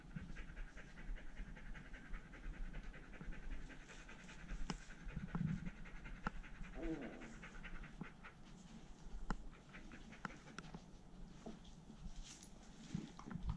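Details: Poodle panting indoors, one of two poodle brothers, the younger one leashed and playing in the house; steady soft rhythmic breathing throughout with faint household background noise.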